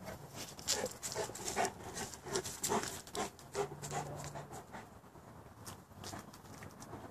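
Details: Rough, irregular panting from Boerboels, several dogs, with sharp breathy puffs and a faint low hum partway through, fading a little near the end.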